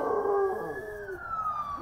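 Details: Two Belgian Malinois howling along with sirens: a sustained, wavering tonal howl that holds steady and then slides gradually downward, blended with the smooth rising and falling wail of a passing siren.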